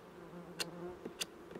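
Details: Droning honey bees at an open hive, inspected after their second spray with 15% lactic acid on 21 July 2019; even low buzz with two sharp clicks and a soft knock.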